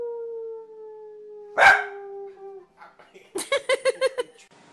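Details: Corgi, described as funny and confused: a steady drawn-out tone fades, then a sharp burst and a quick run of six short, clipped yaps.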